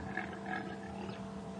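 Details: On a May 2015 morning in the Sabi Sands, South Africa, a rutting male impala guarding a few calm females from rival males gives two rough, guttural snorts in quick succession, then a fainter rasp, over a low background rumble.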